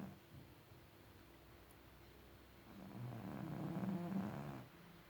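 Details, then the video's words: Vasya, a pet cat, snoring indoors: a low, rough, rasping drone that swells louder in the second half and fades, with steady breathing rhythm. "Кот Вася храпит как взрослый"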